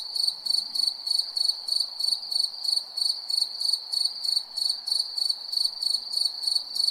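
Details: Crickets chirp at night in sharp, high-pitched pulses about three per second, each with a faint higher overtone, over a low, gentle background hiss.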